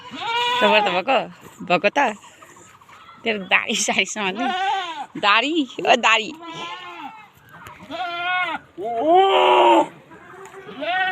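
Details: Several Boer goats at a goat farm in Nepal bleating in quick succession, a chorus of quavering, nasal calls, some short and clipped, others drawn out and trembling, overlapping one another with brief pauses between bursts.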